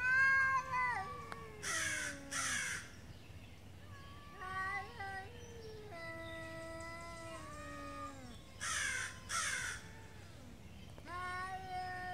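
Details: Two street cats in Beaver Falls in a typical morning territorial standoff, drawn-out wavering yowls with sliding harmonic tones rising and falling, broken by several short harsh noisy bursts and a low steady hum underneath.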